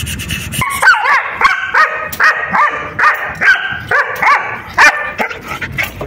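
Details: German Shepherd in a clip billed as attack footage, giving a run of sharp, tonal barks and yelps with upward-bending pitch, each bark about half a second apart, with faint background noise between them.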